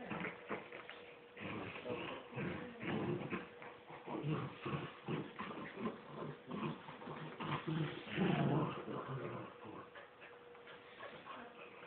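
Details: Two miniature wirehaired dachshunds, a mother and her son, playing tug of war; continuous low rumbling growls in rapid, uneven pulses with brief whimpering yips mixed in, a steady faint hum in the background.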